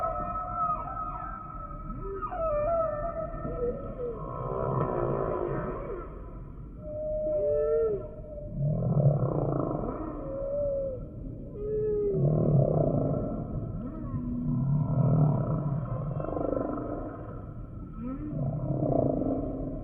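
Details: Humpback whale song with a regular cycle of units: rough buzzy moans alternating with short rising and falling whoops and deep grunts, repeating roughly every two to three seconds over low sea rumble.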